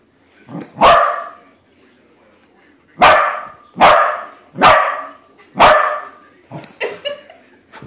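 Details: Pet corgi barking at a corgi-shaped balloon as it discovers the balloon isn't real: a soft yip, then five sharp, loud barks, one pair close together and a longer pause after the first bark.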